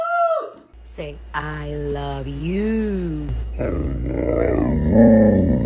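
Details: Indoor pet Great Dane appearing to talk back after being told it is not going outside: drawn-out groaning, moaning vocal notes that rise and fall in arches, mixed with a person's voice in a small room.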